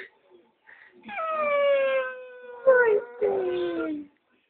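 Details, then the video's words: Dogo Argentino named Merlin howling: one long, steady, tonal howl that sags slightly in pitch, then a brief rough break and a second howl sliding downward to a low close, lasting about three seconds overall. "Dogo Argentino Merlin howling"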